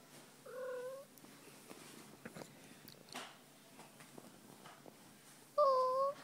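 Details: Fuzzy, a female domestic cat enjoying a belly rub at home, lets out one soft, short mew followed five seconds later by a louder, clearer drawn-out mew, with faint rustling and quiet room sound between.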